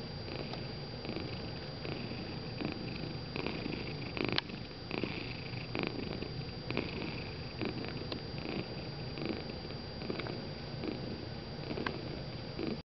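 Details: Gray and white tabby domestic cat purring while taking a nap indoors, a steady continuous low rumble throughout with faint rhythmic breathing pulses.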